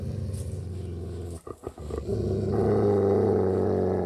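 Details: Binaural 3D ambient recording of growling dogs: a steady low rumbling growl, broken by a short pause with two quick huffs around the middle, then returning louder and more tonal, a sustained menacing snarl.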